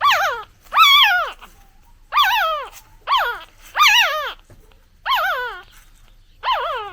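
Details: Crying of a newborn puppy calling for its mother, seven arched, quavering whimpers at uneven intervals over seven seconds, each bending upward then falling away, clean background.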